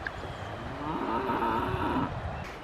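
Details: Cow gives a low, wavering drawn-out moo lasting about a second and a half, with faint background hiss and rustling.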